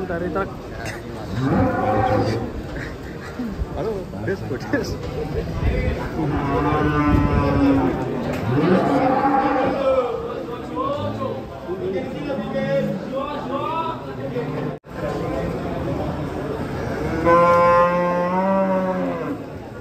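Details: Several bellowing moos from huge cattle during unloading from a truck rise and fall in pitch, the last one strong and harmonic-rich, mixed with continuous talking from people around them.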